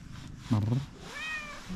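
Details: Calico cat with a fluffy coat greeting a person: a brief rough burst followed by a thin, arching, higher meow that rises then falls, against faint background hum.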